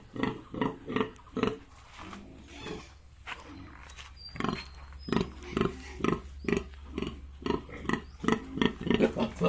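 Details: Farmed Yorkshire and Hampshire pigs in Bongaigaon, Assam, grunting in rapid, loosely regular bursts, a short quieter gap near the start, then dense repeated grunts to the end.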